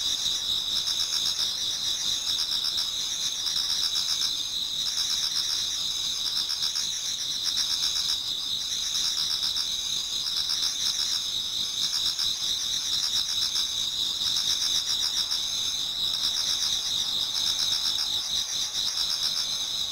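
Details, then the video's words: Many autumn insects singing together in a Japanese garden towards dawn: a dense, steady high-pitched chorus of trilling and pulsing chirps, with a continuous ringing band and a second pulsed band above it, unbroken throughout. "Autumn Insects voice Towards dawn"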